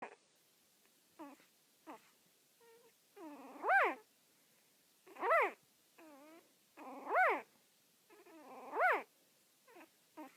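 A beagle gives loud, arching howls that rise and fall, repeated about every two seconds.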